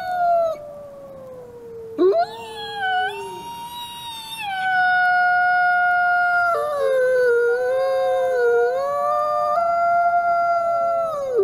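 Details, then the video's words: Wolf recorded at the Wolf Conservation Center: a falling howl, a brief gap, then overlapping voices rising and wavering, with several tonal lines sliding together like a chorus of howls. "Beautiful Wolf | Beautiful Howl"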